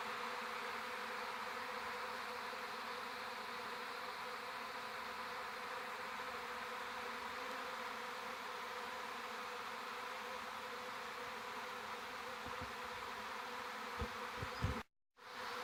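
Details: Big Western honey bee swarm that left a home beeyard colony, clustered head high on a sapling at a garden in Washington, Virginia, on May 4, phone-recorded: continuous thick droning buzz throughout, a few low knocks near the end and a brief dropout.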